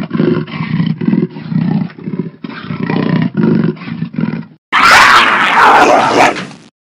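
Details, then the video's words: Jaguar giving a run of low, hoarse, rasping grunts, roughly three per second, for about four and a half seconds, then an abrupt, louder and harsher snarling roar lasting nearly two seconds. "Jaguar Sound"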